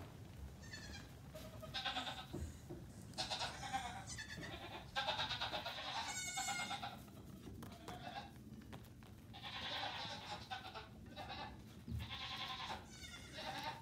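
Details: A crowd of Nigerian Dwarf goat kids aged 3 days to 2 weeks, out of the pen on a farm while mothers eat morning grain; many bleats overlap, some high and trembling, in near-continuous chorus.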